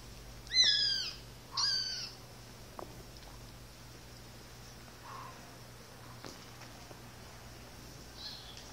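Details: One-month-old Siamese kittens, a male and his sister born October 22nd 2012, playing; two short, high, harmonic meows with downward-bending tones in the first two seconds, followed by quiet room background with faint clicks.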